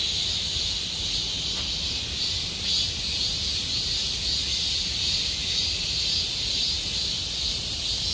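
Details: Cicadas singing in Gomsol Nuri Forest, Sihwa district, in deepening summer: a dense, steady, high buzzing chorus in two bright bands with faint pulsing, continuous throughout, over low rumbling background noise.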